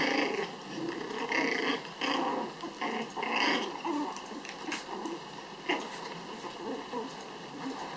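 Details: Playful tug-of-war among a litter of six Pomeranian puppies raised at home; raspy growls broken by high squeaky yaps roughly every second, loudest early then easing off.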